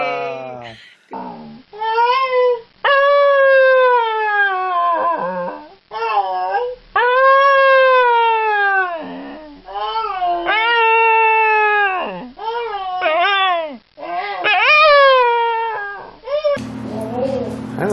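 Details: Domestic dog howling, "talking" and attempting to say "hello": long drawn-out tonal howls that swoop up then slide down, several in sequence with short breaks, ending in a burst of noise.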